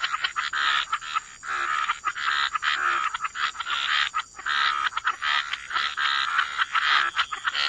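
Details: Chorus of frogs at the waterside: rapid, raspy croaks pile up almost without pause, a busy rattling texture broken by brief gaps, with a thin constant high hiss behind it.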